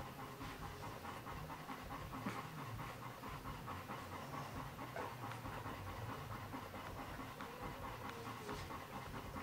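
A Golden Retriever pants steadily, a quick breathy rhythm of rasping puffs.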